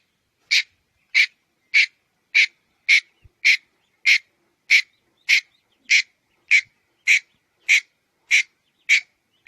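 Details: Loud, clean sequence of short raspy chucks from a red-headed squirrel, evenly spaced at roughly two per second, one faint click in the background.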